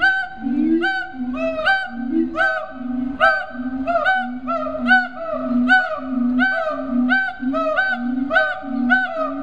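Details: Siamangs (Hylobates syndactylus) at Riverbanks Zoo in Columbia, South Carolina, calling in rapid alternation: deep booming pulses mixed with higher, ringing, harmonic barks, repeated more than once per second throughout.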